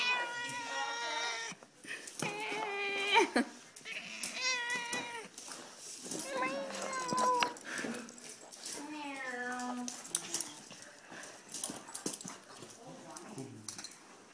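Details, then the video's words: Madeline the house cat protests being petted with a series of repeated harmonic meows, some short and some drawn out, roughly every one to two seconds, over soft human speech indoors. "Poor kitty hates pet pets."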